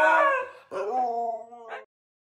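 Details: One of a group of Husky brothers singing together loudly gives a short, tuneful howl in two drawn-out, wavering notes.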